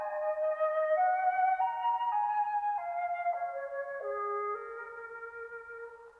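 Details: A flute-like instrument plays a slow stepped melody of sustained notes, rising then falling, with no animal sound.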